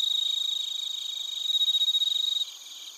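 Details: Cricket song from Narita in Chiba Prefecture, Japan, via TASCAM Portacapture X8: a loud, rapid pulsed trill of evenly spaced beats over a high ringing chorus, cutting off after about two and a half seconds.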